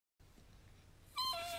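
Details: Dachshund, described as dramatic, indoors: a quiet room hum, then a sudden loud, high, steady whine rising in at the end and holding level for about half a second.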